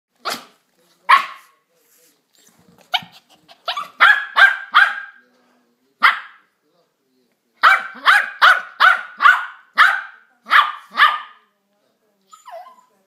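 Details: Yorkshire Terrier dog playing with a ball indoors, giving sharp high yapping barks: a few scattered single yaps, then two quick runs of about five to six barks each, with short pauses between the bursts.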